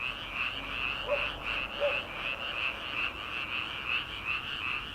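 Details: Early-summer frog chorus heard at night from paddy fields before transplanting season, many frogs croaking together in rapid pulsing waves, about three pulses a second, plus two brief lower calls near the start.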